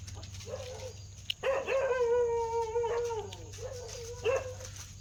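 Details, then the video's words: A dog howls. A short wavering whine leads into a long, steady, harmonic-rich howl of about two seconds that drops at its end, followed by another brief rising whine. "dog barking sound | kutte ki awaaz"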